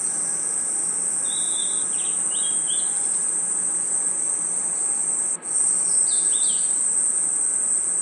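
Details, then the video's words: Crickets in a night-time forest keep up a constant high, shrill trill that drops out briefly for a moment. Scattered short chirping notes appear early and again late, above a steady hiss. "Forest Night Ambience 🌿 Crickets & Insects Chirping Sounds"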